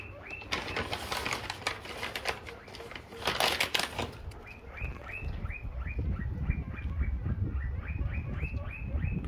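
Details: Guinea pig being taken home: after a stretch of rustling and handling noise, a quick run of short, high, rising-then-falling squeaks repeats several times a second until the end.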